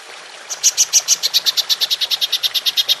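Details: Golden grasshopper (belalang emas) in a 'nembak panjang' long-burst style, used as a training track for songbirds: after half a second of hiss, a steady train of bright, high, sharp pulses starts, about seven a second, for over two seconds.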